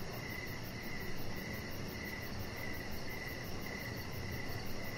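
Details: Crickets sing outdoors in the evening near a deck where a pet chihuahua rests; regular chirps recur about twice per second, backed by a thin high ticking and a steady low rumble.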